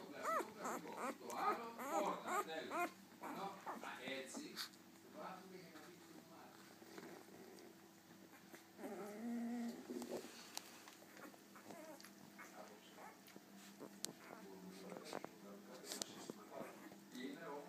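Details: One-week-old Golden Retriever puppies squeak and whimper in high, wavering cries, with voices nearby.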